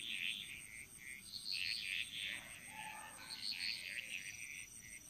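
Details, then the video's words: Jungle frogs in Bali, Indonesia, calling in chorus: clusters of harsh, rasping croaks in short bursts, with a faint lower call in the middle and a steady high-pitched insect drone behind. "Frog Mantras - Relaxing Sounds Of Bali"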